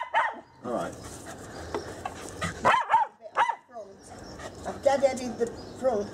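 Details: Molly, a pet female Scottish Terrier out on a walk, gives a few short, sharp barks, interspersed with a person talking nearby outdoors.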